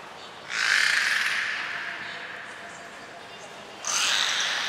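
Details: Training session for belugas Gray, Nana and Mirai at Port of Nagoya Public Aquarium, June 7, 2022; two loud raspy, noisy bursts with faint tonal squeaks inside, the first lasting over a second, the second starting three seconds later.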